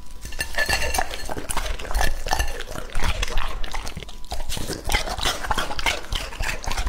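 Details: Raw meat meal for Lucky, a two-and-a-half-year-old male English Labrador Retriever: moist gulping, snuffling and chewing, grunt-like smacks at irregular intervals, faint clinking of a dish.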